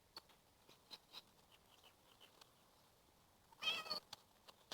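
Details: Domestic cat making an odd sound its owners had never heard from it before; near-silent room with faint clicks, then one short, harsh, raspy burst under half a second long near the end.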